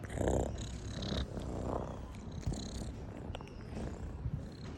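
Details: Pet cat giving a continuous low, throaty purr, rhythmic and rumbling, slightly louder at the start, with small rustles and clicks over it.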